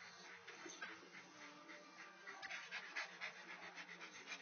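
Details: Great Dane during sexual harassment, panting quickly and unevenly, roughly four breaths a second, mixed with small whimpery sounds over a hissy background.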